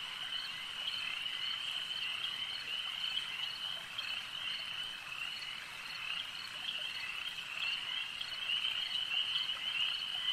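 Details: Lakeside frog chorus, continuous and high-pitched, with many overlapping callers and faint pulses rising out of the steady trill about every half second, on a quiet natural background.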